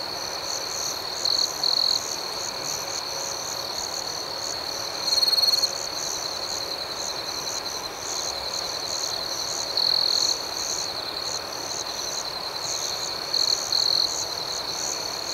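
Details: Crickets at night chirping in a steady high-pitched chorus, a constant ringing trill overlaid with pulsed chirps about four per second, with brief louder bursts of a sharper trill every few seconds.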